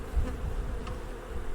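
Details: A honey bee with a drone on its head bumps into a beekeeper's smock, its low, steady buzz sounding different from its hive-mates' buzz, in a riverside meadow by an old watermill.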